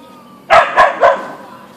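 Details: Three quick barks in about half a second come from Boeing, a Siberian Husky (Ausky), as he meets a deer in the backyard. The barks are clipped and mid-pitched, and a faint steady hum lies beneath them.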